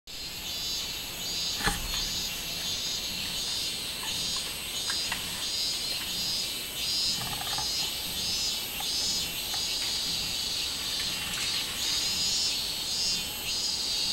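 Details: Robust cicada recorded on 24 July 2016: a dense, shrill, high buzzing drone that swells and fades in slow pulses throughout, with a brief sharp knock near the start and faint lower chirps.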